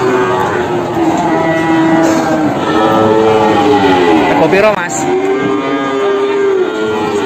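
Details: Peranakan Ongole cattle, big jumbo stock, at the Kebumen livestock market in Indonesia one morning; rich, harmonic lowing moos follow one another, one bending up and down sharply midway, with voices and crowd noise throughout.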